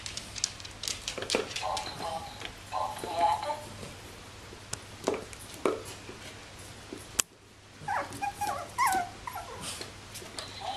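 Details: Bichon Frisé puppies of the X litter at a small Danish kennel, indoors; thin high whimpers and squeaks with short rising whine notes, mixed with clicks, rustling and a woman's speech in Danish.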